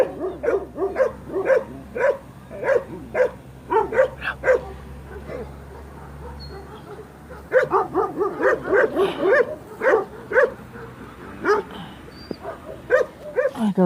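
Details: Young Kangal dogs, growing puppies being raised for adoption, barking at paper collectors: bursts of sharp, mid-pitched barks repeated roughly twice a second, a pause, then another rapid run of barks, with faint human voices.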